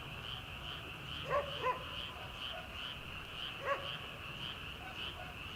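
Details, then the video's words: Frogs calling from rice paddies in early summer, before rice planting begins: a steady, dense chorus of rapid high pulsing trills, broken by a few distant farm dog barks. "초 여름 개구리 울음소리/ 논에서 들리는 개구리 소리"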